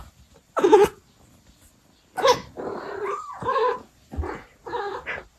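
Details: ['A mother Abyssinian cat communicating with her young: four short, throaty meows in separate bursts, some wavering or dipping in pitch, with near silence between them.']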